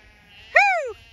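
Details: Zwartbles lamb in a flock on a regenerative farm in County Kilkenny, Ireland, being called to move into a new field; a single short bleat that rises then falls, with faint farm background.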